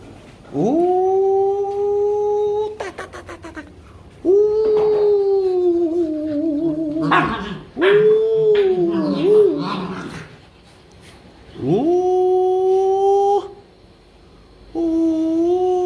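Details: Rottweilers given a playful dog makeup session: long, steady howling whines, each about two seconds, rising sharply at onset then holding level, in four bouts separated by short pauses with brief rustling and clicks between.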